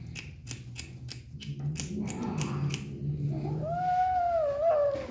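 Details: Kitten enjoying its food indoors, first low grumbling, murmuring sounds mixed with rhythmic clicking, then a clear, drawn-out meow that rises slightly and falls toward the end.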